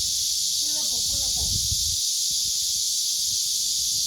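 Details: Loud summer cicada chorus in a village inside a stone-walled fortress, heard while resting after sightseeing: a dense, steady high hiss throughout, with brief voices and a low rumble early on.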